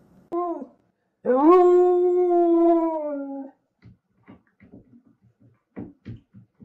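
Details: A Husky gives a short yelp, then a long, steady werewolf-style awoo lasting about two seconds, followed by scattered knocking and chewing noises as it gnaws a table.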